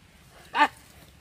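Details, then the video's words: A single short dog bark or yelp during a dog fight, a sharp harmonic burst lasting about a fifth of a second against quiet background. "Dog vs Dog Dangerous Fight"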